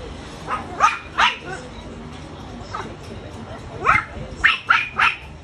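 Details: A friendly Chow Chow x Rottweiler cross dog gives short, sharp barks in irregular bursts, some of them doubled.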